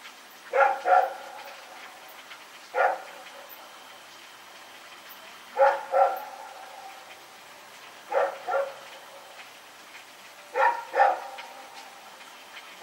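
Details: Night recording from 21 September 2018 of Rex, a dog running around: paired barks repeat roughly every two to three seconds, mostly doubles with one single, clear and fairly loud against a low hiss.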